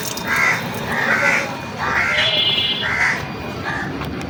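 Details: A kitten, won over by a single day of affection, runs toward the person it has befriended while calling. It gives a string of five short, high, slightly wavering mews, each under a second apart, over steady low background noise.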